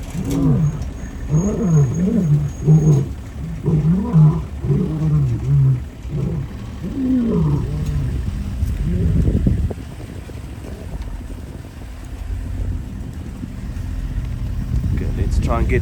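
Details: Four male lions of a coalition roaring while chasing an unknown male back across the Sabie River in Kruger National Park, South Africa. A series of deep, harmonic, descending grunting roars repeats for about eight seconds, followed by vehicle engine rumble.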